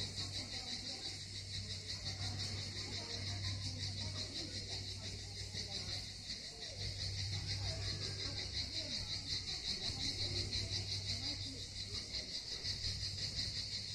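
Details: Cicadas singing at Miskhor harbour near Yalta on the Southern Coast of Crimea: a steady, dense, high-pitched buzzing shimmer throughout, with faint distant voices and a low constant hum underneath.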